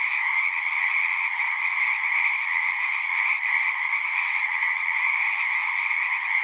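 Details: Wild frogs in full chorus. Countless croaks blend into a steady, shimmering drone, strongest in a high band with a second band just below, holding an even loudness from start to finish with nothing else audible.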